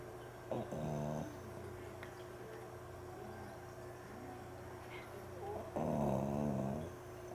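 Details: Mame Shiba Inu asleep, recorded 12 September 2013: two drawn-out snores about five seconds apart, each a harsh, buzzy, layered rasp lasting under a second, with faint rustles between and a constant low background hum.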